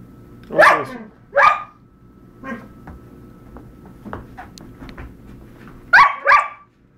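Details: Dog, from a pair named Zachary and Argos going at it, letting out sharp barks: two loud barks, softer yips and grunts in between, then a closing pair of loud barks, indoors.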